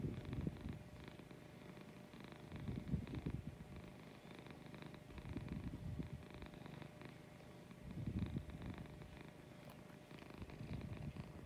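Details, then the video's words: A female domestic cat purring in the morning, close up. A soft, low rumble swells and fades in slow waves every few seconds, over a faint background hiss. "Purring in the Morning"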